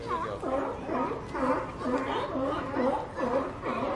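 Sea lions give a steady run of hoarse, honking barks, several animals calling over one another.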